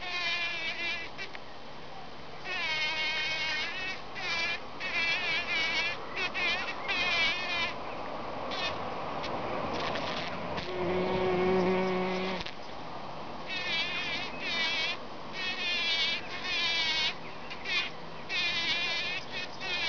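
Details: Bees packing in pollen: steady, buzzy droning hums that come and go in overlapping bursts, some rising and falling in pitch, with a lower steady buzz near the middle and a faint background hiss.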